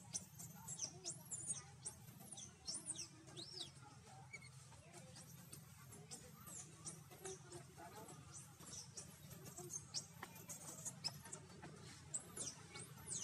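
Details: In the Siem Reap jungle of Cambodia, a frightened young monkey turns to its mother with thin, whistle-like squeals that bend up and down, scattered irregularly through the recording, with a faint low hum beneath.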